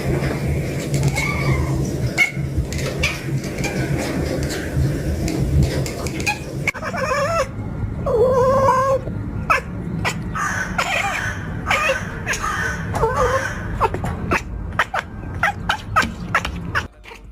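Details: Domestic cat meowing: several short, tonal, wavering meows in the middle section, with clattering and knocking noises around them and music earlier.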